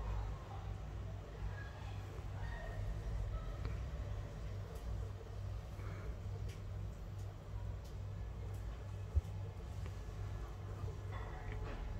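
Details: Low rumbling traffic hum from passing vehicles dominates, with faint indistinct voices and scattered clicks, and no animal calls.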